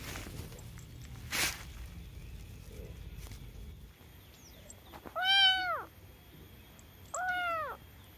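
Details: Domestic cat meowing: two clear, arched meows that rise and fall, about two seconds apart, after an early short knock and quiet background hiss.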